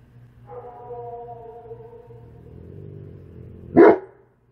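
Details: Tonka, a pet Alaskan Malamute, reacting to a played recording said to be Bigfoot: a steady, drawn-out whining tone for about two seconds, then one sharp, loud bark near the end, with a low hum underneath.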